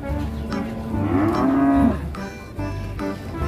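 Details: A weak cow caught or stuck gives a drawn-out, slightly rising moo partly masked by men talking and background noise.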